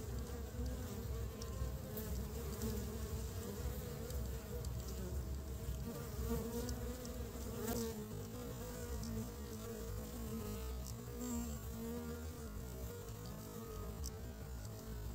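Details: Honey bees collecting pollen to build their nest in early spring, a steady low droning hum with layered harmonic tones and faint clicks, unbroken for the whole stretch.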